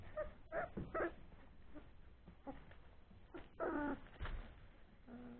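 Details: Three-week-old Old English Sheepdog puppies playing after a meal, giving short squeaky whimpers and yips in scattered bursts, with thumps and rustling from their play.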